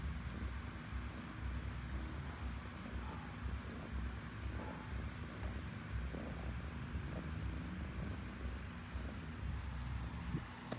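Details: Domestic cat purring steadily, a low continuous rumble pulsing about twice per second with the breath, close to the microphone and with no other clear sounds.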